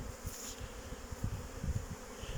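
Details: Honey bees, young workers making their orientation flight at a hive on 8 May 2023, flying well after a cold day. A low droning hum with gusty, rumbling bursts and a faint steady tone above it.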